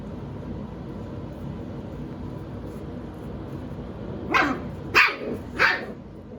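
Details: A litter of seven-week-old puppies, Phoebe's pups: after a steady hiss of background noise, three sharp, bright little barks come in quick succession near the end, about half a second apart.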